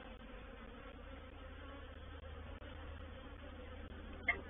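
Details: Quieter buzzing of a reproductive honey bee swarm moving into a bait hive on 04/07/21: a soft steady drone with a few short dropouts and a brief sharp tick near the end.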